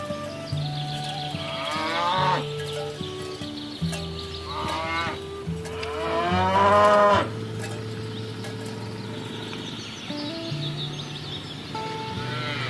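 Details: Village cattle herd being driven toward the livestock pen through a rice field ditch, giving several drawn-out, rising-then-falling moos at irregular intervals, over steady background music.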